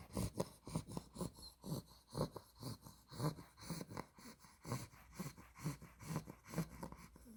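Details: Spaghetti, a 2-month-old Olde English Bulldog girl of exotic blue merle tri coloring, sleeps and snores: soft, low, snuffling breaths pulsing roughly twice per second, a few stronger snorts standing out, in a quiet room.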